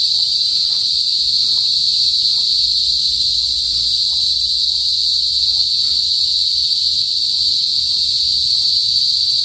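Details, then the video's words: Loud chorus of cicadas (kuliglig) in a rural northern Philippine province, typically before sunset, producing an intense constant shrill whine that holds steady throughout, with soft background rustle. "TUNOG NG KULIGLIG SA PROBINSIYA | PHILIPPINES CICADAS NOISE"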